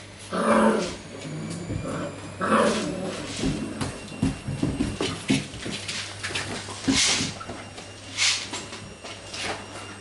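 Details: Golden Retriever C-litter pups during acoustic and optical stimulus training; early whining yelps give way to a stretch of low rumbling growls and scuffling, with a steady background hum.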